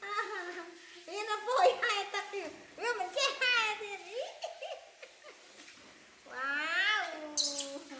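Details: Baby monkey Poy crying and refusing a bath alongside another baby monkey, Nita: a run of loud, wavering, harmonic wails that rise and fall in arched shapes, with short pauses between bursts and a closing stretch of drawn-out cries.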